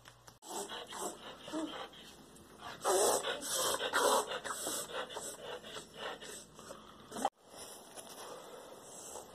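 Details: Holly, a medium-size pet Siberian Husky, in one of the strange gasping episodes she has every couple of months, which come and go. Harsh, breathy snorting gasps come in quick irregular runs, loudest midway, then stop abruptly before resuming more softly.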